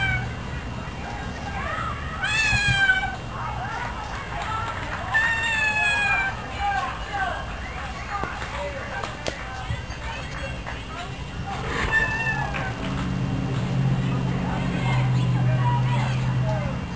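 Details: A domestic cat meowing, in a sequence where it meows, is given food, eats and cleans itself; several drawn-out, falling meows come in bursts around the third, sixth and twelfth seconds over a steady low hum and voices.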